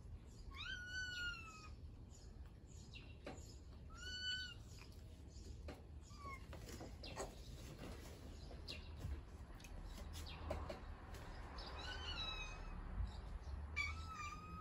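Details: Domestic cat at home, relaxed while a child eats pancakes, giving about five high, harmonic meows: a longer opening cry bending downward, then shorter ones spaced several seconds apart, over a steady low hum and soft rustling.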